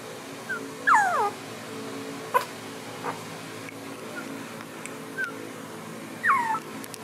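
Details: Border collie puppies, filmed in their first two months of life, give high whimpering squeals that slide down in pitch. There are two long cries about five seconds apart and a few short peeps between them, over a steady background hum.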